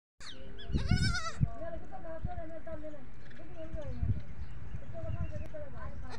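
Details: Goat kids on a goat farm call for their mother: one loud, wavering, nasal bleat near the start, then fainter short bleats under steady human speech and background hum.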